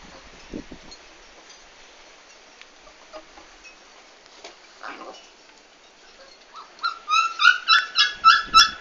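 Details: Mostly quiet rustling, then in the final two seconds a Komondor gives a rapid, regular string of high, tonal whines; recorded 11 March 2016 during a big move.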